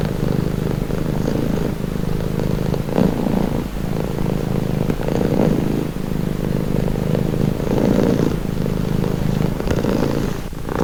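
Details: Calming purr of a pet cat: deep, even, buzzing rumble running unbroken, gently rising and falling in strength every couple of seconds as the cat breathes in and out.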